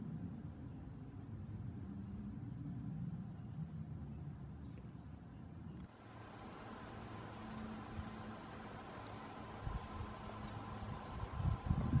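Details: Low rumbling vehicle noise over a steady outdoor background hum, growing louder and brighter halfway through, with no animal calls.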